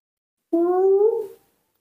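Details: Newborn baby monkey named Nomi, hand-reared indoors and refusing its milk, calling for its mother: one clear, tonal, slightly rising coo of about one second with bright overtones, in a quiet room with no other sounds.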